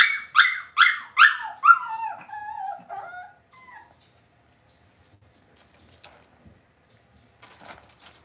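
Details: Cavalier King Charles Spaniel puppies being raised indoors in a home puppy pen give four high, harmonic yelps about half a second apart. Drawn-out, falling whines follow, then near silence with faint soft rustles.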